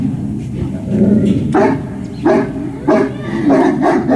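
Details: Dog at a service dog project in Ipswich, Massachusetts, USA, during a big ball game on a September morning; loud barks repeat roughly every half second to second over a low rumbling background.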